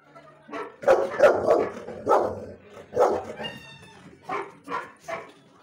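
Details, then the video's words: Ricky, a dog, barking in a loud run of sharp, harsh barks, roughly three per second in bursts with short gaps, some rising into higher yelping tones near the end; no other clear sounds. "Ricky barking video"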